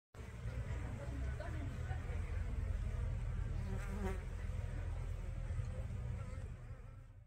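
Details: A guard honey bee patrols the bottom board at its hive entrance against intruding bees or wasps in 2022, making a low, steady droning buzz over a deep hum.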